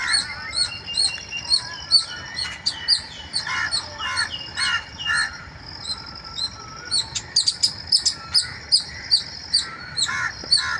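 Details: Squirrel squealing in the morning: sharp, high chirping notes repeated about twice a second in steady runs, over a busy backdrop of other birds calling and twittering lower down.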